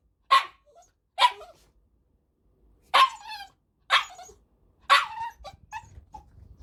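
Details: Pet male Cavalier King Charles Spaniel, 7.6 kg, barking in bursts: five crisp single barks with gaps of about one to two seconds, followed by small whiny yips and a low rumble at the end.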